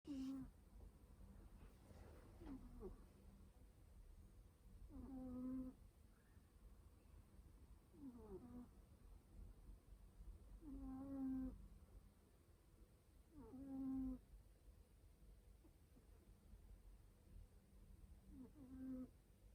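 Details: Domestic cat snoring loudly while falling asleep: slow rhythmic breaths, each a nasal, wavering snore lasting about half a second to a second, repeated roughly every three seconds over a faint steady hum.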